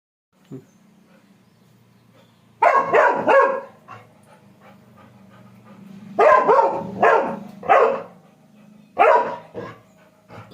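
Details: Labrador puppy named Dash barking in short harsh bursts, three clusters of two or three barks spaced a few seconds apart, with a low steady hum underneath and a person giving commands in Tamil to get down.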